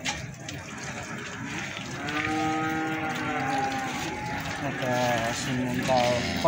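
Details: At the Plaosan cattle market in Magetan, Indonesia, a feeder cow lets out a long, even moo lasting about a second, then trails off amid people talking and the general bustle of the sale.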